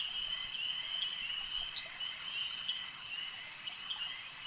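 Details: A lake-side frog chorus, shrill and continuous, with a steady high drone and a few brighter chirps popping out around the second and fourth seconds.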